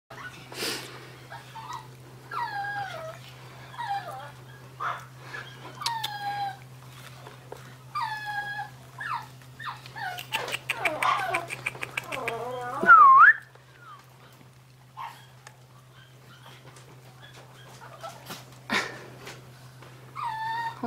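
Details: Pet dogs, a Maltese and a Yorkshire terrier described as friendly brothers, indoors: repeated high whiny whimpers with falling, bending pitch, short bursts every second or two, one louder rising yelp midway, with a woman speaking Korean nearby.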